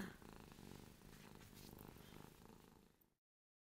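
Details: Ruby, a pet cat who drools when she is happy, purring: a soft, low, steady rumble of fast pulses for about three seconds before it falls silent.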